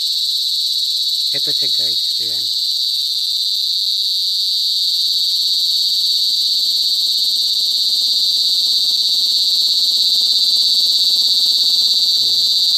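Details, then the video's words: Kuliglig, the cicada known as duli duli in Bicol, singing in the province: a constant, intense high buzz fills the air, while short human vocal bursts come early and a low steady hum joins partway through. "CICADA SINGING| KULIGLIG | DULI DULI IN BICOL"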